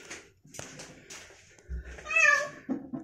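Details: Rescued kitten, brought down after getting stuck atop a very tall, thin tree and now indoors, hiding: brief speech and knocks, then one loud drawn-out meow that rises and falls, followed by further talking.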